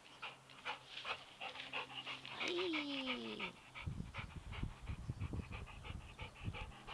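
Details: Buddy, a Labrador Retriever, at play with a soccer ball: rapid hissing pants throughout, a smooth falling whine-like tone midway, then dull thumps and rustling as the ball is handled.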